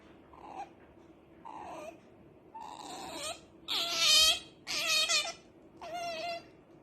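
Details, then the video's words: Sleepy pet otter Rara complains with soft whimpers that build into loud, harsh, wavering squeals, roughly one per second, louder toward the end. "Otter Rara is making noise because she wanted to sleep badly"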